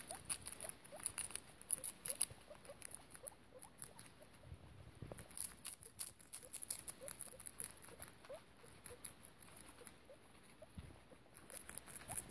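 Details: Guinea pig Piggie Minaj with her babies in a foster home: quiet, brief rising squeaks repeating at an even rhythm through the recording, accompanied by sharp rustling clicks.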